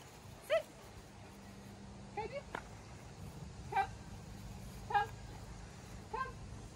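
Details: A two-year-old German Shepherd in a board-and-train program in Georgia, United States, gives five short, high, harmonic whines or yelps, each a brief cry spaced roughly one to one and a half seconds apart, over a faint steady background hum.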